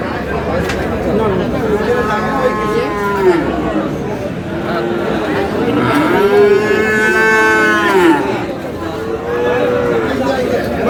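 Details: Friesian and crossbred bull calves at the Aftabganj cattle market, Dinajpur, Bangladesh, 22 July: several long, harmonic moos, some rising then falling, one loud bellow near the middle, amid constant market chatter and bargaining voices.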